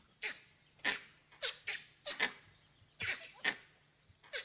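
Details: Alarm barks of langurs in Barnawapara Wildlife Sanctuary, harsh coughing bursts from monkeys in trees watching a danger unseen by observers, possibly a leopard or wild dogs; calling later subsides as the threat moves away.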